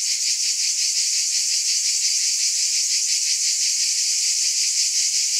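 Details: Cicadas in a steady, dense high-pitched buzzing chorus, a continuous shimmering hiss with faint rapid pulsing and no breaks.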